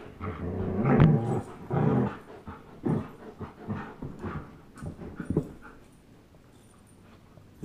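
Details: Playful tug of war between a 10.5-month-old German Shepherd called Chase and a one-year-old Old English Sheepdog called Blizzard; two strong rumbling growls open, then fading grunts and scuffles trail off into near quiet.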